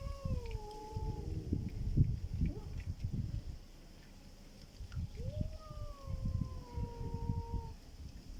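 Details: Strange-sounding black cat: two long, drawn-out meows, each about two and a half seconds, starting with a rise then sliding slowly down, separated by a quieter gap with low rumbling noise throughout.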